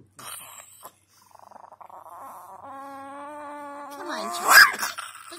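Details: Pet Chihuahua grumbling at bedtime indoors: a steady, drawn-out, harmonic growl-like whine lasting over a second, rising sharply into a louder burst near the end, with a person speaking softly just before and after.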